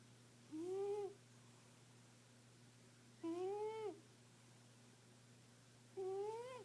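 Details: Pet cat, a female, snoring while asleep indoors, three whistled, gently rising then falling breath tones spaced about two and a half seconds apart over a constant low mains hum.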